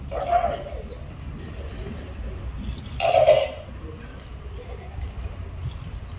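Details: Walrus performing in a show at Antalya Delphinarium, Turkey: two short, hoarse, honking bursts roughly three seconds apart over a low indoor crowd murmur, with a trainer's brief praise nearby.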